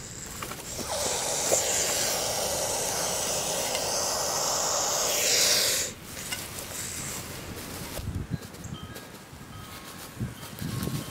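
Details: Hognose snake playing dead, giving a steady, loud, breathy hiss that runs unbroken for about six seconds and then cuts off abruptly, leaving quiet background with a few soft knocks and rustles.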